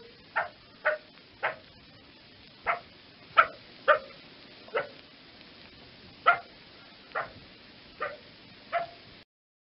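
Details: Repeated abrupt fox barks, around a dozen in under ten seconds, irregularly spaced with short pauses, some clipped and some with a brief falling tail; low hiss behind.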